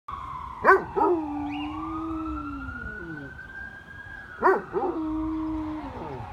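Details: Dog howling at a fire truck: long sustained howls with sliding, wavering pitch, overlapping a siren-like steady tone that rises then falls, with two sharp loud bursts.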